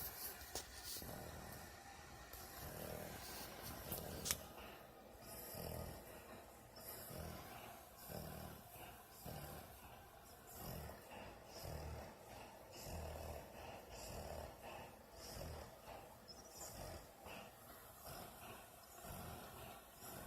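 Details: Dog sleeping and snoring much like a person, a female whose lips sometimes move as if she talks in her dream; steady low throaty snores pulse in quick succession throughout, with faint room noise.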